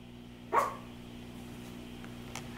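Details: Yulmu, a Maltipoo indoors while laundry is being folded, gives one short, sharp bark, followed by quiet room hum and a faint click, with people chatting before and after.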